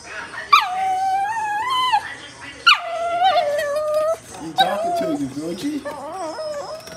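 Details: Crying dog giving a series of drawn-out, wavering whines, each opening with a sudden high note and falling into a sustained tone, repeated roughly every two seconds, with a person's voice faintly mixed in.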